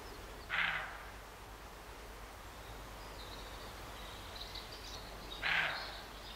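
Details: Two hoarse, abrupt barks about five seconds apart from a roe deer in August 2012 near Morpeth, Northumberland; faint high bird calls in between over a low outdoor hiss.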